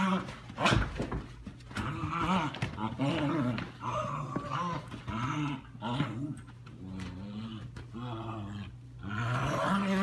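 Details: Leia, a 10-week-old German Shepherd puppy, playing: a run of short, rough growls and whiny yelps, repeated every second or so for ten seconds, over a steady low background hum.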